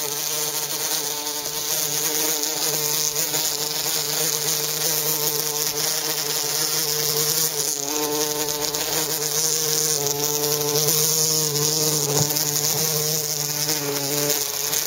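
A bumblebee's steady, low droning buzz, wavering slightly in pitch as it hovers close by.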